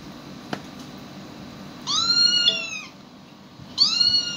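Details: Domestic cat reacting to animal sounds played to it: two loud, drawn-out meows with rich harmonics, the first arching slightly downward, the second rising then flattening, after a quiet start with a single click.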